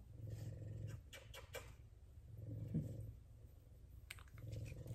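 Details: F2 Savannah cats, two of them, purring indoors while being petted and giving affection. A low, steady rumble comes in three bursts of under a second each, with quieter gaps between, over soft rustling and handling noise.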